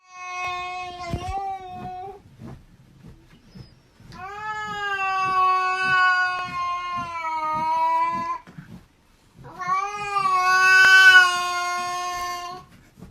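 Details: Domestic cat giving a strange, drawn-out wailing cry: three long harmonic yowls, the middle one about four seconds and the last rising and straining, with short gaps and faint background knocks between.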